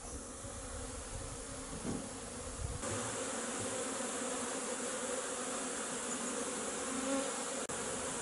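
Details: Honey bees flying out of the hive on a sunny 16 January for their winter cleansing flight, giving a steady, dense hum with soft irregular buzzing of many insects passing close, plus a couple of faint clicks.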